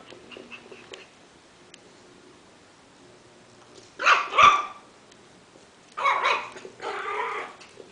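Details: Miniature Schnauzer barking indoors: a faint soft yip near the start, then a loud double bark around four seconds and two harsh, broad barks near six and seven seconds, quiet room between.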